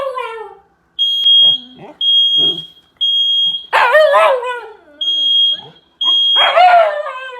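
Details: Shiba Inu named Mugi, a timid pet dog indoors, frightened by an American fire alarm; short yelping, whining barks burst out twice between shrill electronic alarm beeps that repeat about once a second, with quiet human voices in between.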